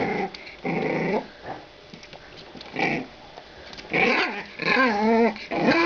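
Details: Two female French Bulldog puppies, 45 days old, born 23 December 2011, growling in short rough bursts. Wavering, whiny yip-like notes break through, about once a second, with quiet gaps between them.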